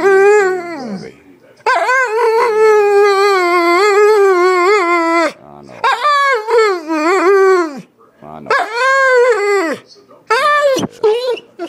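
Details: Shadow, a pet dog being asked to say I love you, produces a long series of howls: a sustained level note, then several shorter arching, warbled phrases separated by brief silences.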